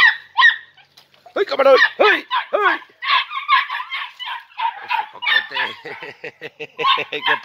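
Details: Podenco Andaluz puppies, three and a half months old, from a litter of four named Coco, Camarón, Roca and Última, on their first time in a training enclosure: dense, high, excited yelps and short barks in rapid overlapping bursts, with brief human voices.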